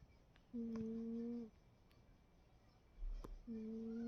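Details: Cat fast asleep and snoring: two steady, nasal, humming snores about a second long, separated by a three-second pause, with faint clicks between them in a quiet room.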